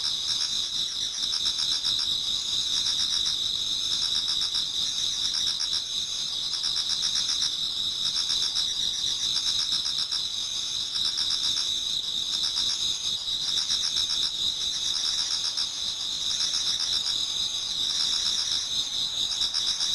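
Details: Many autumn insects singing in a Japanese garden towards dawn: a steady, dense chorus of shrill, continuous trilling around two high bands, with fast pulsing repeated about four times a second and no other clear sounds.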